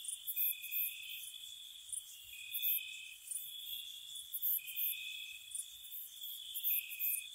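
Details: Crickets chirping gently on a spring night by a cottage: steady high trills layered together, with shorter pulsed bursts of higher chirps recurring about every two seconds, no other sounds.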